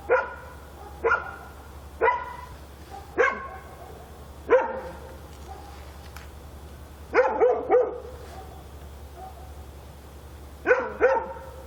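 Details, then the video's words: Dog in Korea barking at night, a run of sharp barks roughly one per second, with a quick double and triple burst later, over a low steady drone. "밤중에 개짓는 소리"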